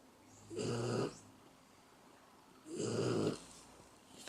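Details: Dog asleep, giving two drawn-out, hoarse snoring breaths about two seconds apart, each a little over half a second long, with near silence in between.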